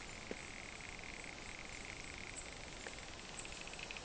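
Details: Soft purring from a male Barrington's tree frog during a fight with another male: rapid pulses rolled into a continuous buzzy trill across the whole stretch, with a steady shrill background hiss and a few faint clicks.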